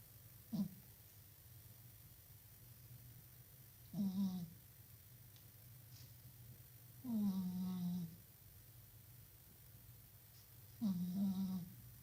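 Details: House cat snoring in its sleep, four low droning snores at irregular intervals, the third longest and strongest with a slight falling start, steady faint hum in the quiet indoor background.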